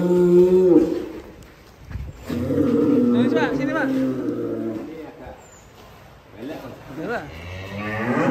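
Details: Big fattened cattle lowing: a short higher moo, then a long sustained deep moo of nearly three seconds, followed by fainter calls and nearby voices.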